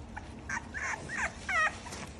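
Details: French bulldog in lilac sable and in chocolate and tan coats giving short, high whiny whimpers: a few quick squeaky notes that rise and fall within two seconds, over faint background hiss.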